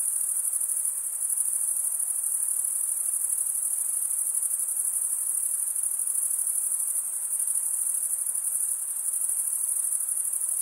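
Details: Chirping crickets, made by males scraping wing against serrated wing, form an unbroken piercing high trill, nearly even in loudness with faint rhythmic wavering and a couple of brief dips.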